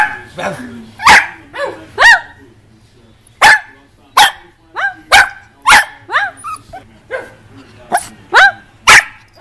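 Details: Shih Tzu dog giving sharp barks mixed with short rising yips in an irregular series, over a faint low hum.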